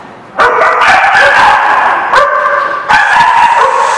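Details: Dogs barking in a parking lot on 8 April 2017; loud, harsh, sustained barking with overlapping voices, several dogs calling at once with little pause.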